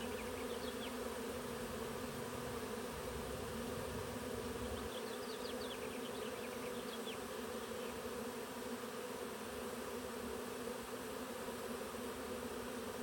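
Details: A honey bee swarm moving into a Warré hive by a south-facing blackberry hedge on the Olympic Peninsula, Pacific Northwest, hums in a dense, steady drone with faint bird chirps, mid-afternoon, mild 60s weather, June 23, 2025.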